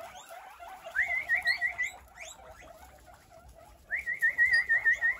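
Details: A huge herd of guinea pigs answers being called with loud, rising, squealing wheeks repeated in quick bursts.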